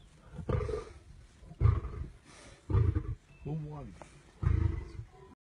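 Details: Male lions in the Masai Mara after a fight over a lioness in heat. Quiet, deep, gruff grunting bursts about once a second, with a short rising and falling voiced sound in between.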